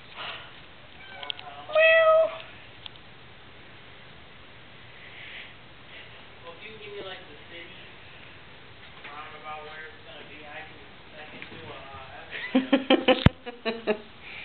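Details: A little kitten antagonizes a huge cat, the pair named Ceasar and Oreo; one loud, clear, harmonic meow rings out near the start, followed by softer murmuring voices and a burst of sharp clattering knocks toward the end.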